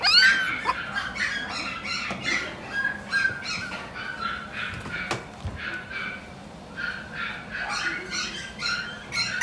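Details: Shiba Inu from mame-shiba parents at a pet shop, giving continuous high whining and yelping cries that come in rapid overlapping bursts, with a brief lull midway and faint voices in the background.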